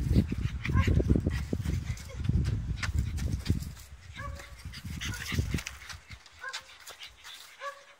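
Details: Blue French Bulldog at play: a run of brief, squeaky yelps repeated roughly every second, over heavy low rumbling and knocking that fades toward the end.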